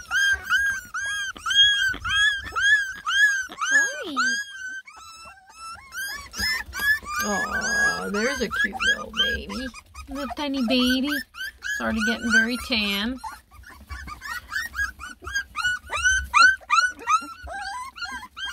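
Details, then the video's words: Ten lemon and tricolor Beagle puppies fuss while trying food for the first time, giving a busy chorus of arched, high whimpers, repeated rapidly from many pups, with lower drawn-out cries midway and a woman's voice. "A lot of COMPLAINING!! Ten BEAGLE PUPPIES give food a try for the first time!"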